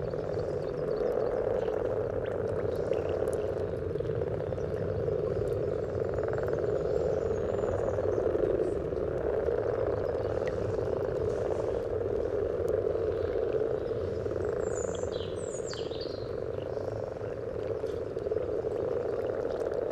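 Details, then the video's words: Chorus of many common frogs at their spawning pond along the yellow trail, Sunnersta, Uppsala, captured near the water surface with a parabolic microphone and Olympus LS14: steady low, grumbling purr throughout, with faint high bird chirps midway. "Spelande vanlig groda"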